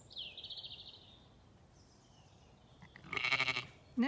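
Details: Zwartbles ewes and lambs on a County Kilkenny farm in Ireland, asking at the gate: bright bird whistles open, then a single short, pulsing sheep bleat follows, just before a woman's voice begins.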